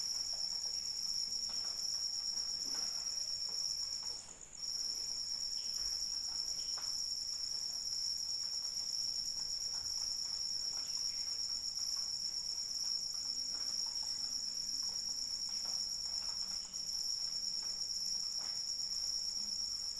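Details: Rain falls lightly while crickets keep up a constant shrill, ringing trill, pausing briefly around four and a half seconds, then carrying on steadily beneath scattered drip sounds.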